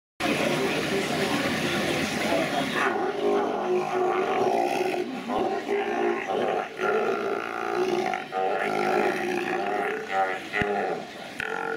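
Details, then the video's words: Sea lions making fart-like noises: low, raspy, sputtering blasts run almost continuously, with buzzy rattling pulses, and children laughing at the sounds. "Sea Lions Making Fart Noise"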